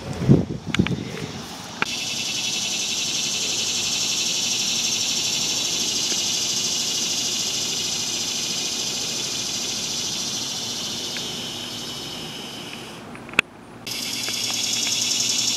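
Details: In August, cicadas fill the air with a loud, steady, high-pitched buzz that pauses briefly before starting again, heard in the background in a garden with monarch caterpillars.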